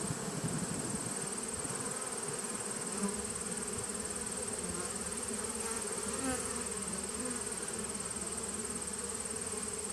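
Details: Steady droning hum of a honey bee nuc colony on 19 September 2018, a continuous buzzing mass of many bees with a few brief louder tones near three and six seconds.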